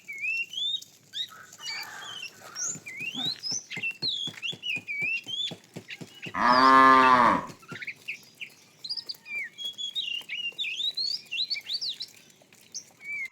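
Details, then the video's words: Tame cows roaming a road in search of food: one short, loud harmonic moo near the middle, lasting about a second, set against constant chirping and whistling birds and scattered clicking sounds. "Funny cow sounds"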